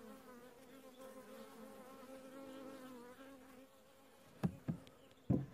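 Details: Western honey bees doing housekeeping at the entrance of a newly hived colony, filmed in late July 2015 in winter; a continuous droning hum for about four seconds, then several sharp knocks near the end.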